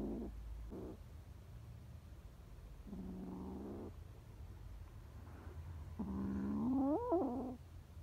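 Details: Scared stray kittens on the street meowing: several drawn-out harmonic cries around a second long, the last rising and wavering in pitch, over a low steady background hum.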